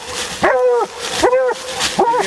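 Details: Female Bluetick hound out coon hunting, letting out three hoarse, arching barks spaced roughly three-quarters of a second apart over a background of human speech.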